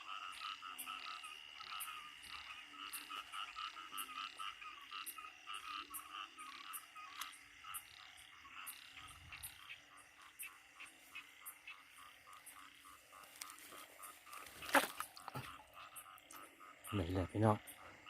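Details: Banded bullfrogs and other frogs on a rainy night in Isan, Thailand, while frogs are being caught; a dense chorus of repeated short pulsed croaks with strong bands, loud handling clatter near the end.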